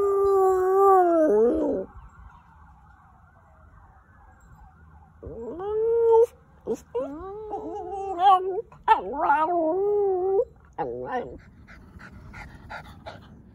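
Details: A dog named FOX practicing howls, recorded March 2020: a long wavering howl sliding downward, a pause, then a run of broken, yodel-like howls with bending pitch and brief breaks, ending in quiet.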